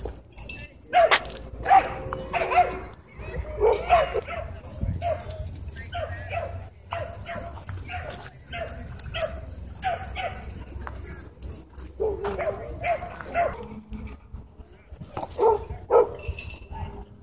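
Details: Dogs at a dog park, where a small white dog lunges at and bites a German Shepherd; sharp, irregular barks and yips burst out in clusters through the clip, mixed with people talking nearby and background chatter.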